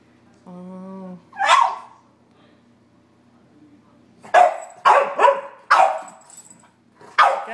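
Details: Three dogs, a Sheltie, a Collie and a French Bulldog named Scout, Sug and Dozer, barking at a squirrel on a rainy day in March; a brief tonal squeal, one bark, then a quick run of sharp barks and a final bark, with people talking.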